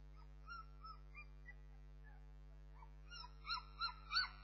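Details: Bernese Mountain Dog puppies giving soft, thin whines at first, then a run of louder, sharper yelping whimpers near the end, with a constant low electrical hum behind.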